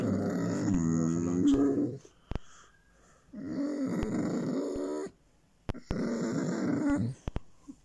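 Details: Male Basset Hound making pleasure sounds while being petted indoors: three long, low, droning groans of roughly one and a half to two seconds each, separated by short pauses, with a few faint clicks between them.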